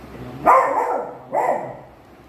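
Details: A pet beagle gives two loud, sharp barks about a second apart. The first is longer and slightly drawn out, and the second is shorter. A person is talking in Malayalam nearby.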